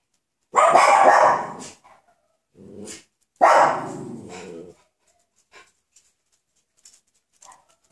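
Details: Coton de Tuléar puppies, almost six weeks old, at play indoors: two loud, harsh growling barks about a second long each, separated by a short softer grumble, followed by faint scuffling.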